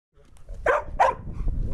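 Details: Fuku, a field-line Labrador Retriever who loves disc play, gives two short, sharp barks about a third of a second apart over a low background rumble.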